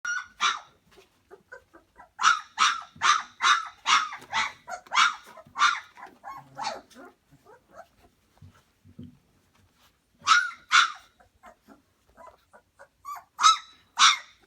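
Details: Pyrenean Mastiff puppies, two and a half weeks old, in a whelping box, giving a run of high yelping barks and whimpers, about a dozen in quick succession, then a pause and a few more sharp yips.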